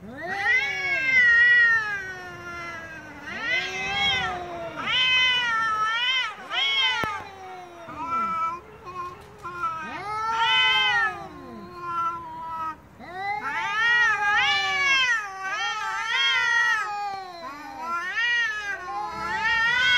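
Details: Angry cats meowing loudly and persistently, a string of about a dozen arched, wailing meows over twenty seconds, some in quick runs, others long and falling, with brief quiet gaps.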